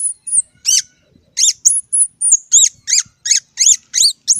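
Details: A squirrel gives loud, arched, piercing squeaks, repeated about three times a second in a steady, insistent series, with faint low thumps underneath.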